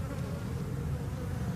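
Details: Loud, close, deep droning of massed honey bees on a frame of drone brood from a drone-laying hive; an unbroken low hum with a few overtone bands.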